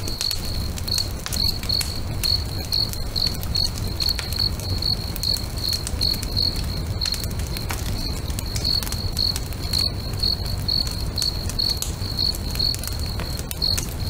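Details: Crickets singing beside a lake at sunset: steady, high, evenly spaced chirps repeating several times a second throughout, over the snap and crackle of a bonfire and a low rumbling background.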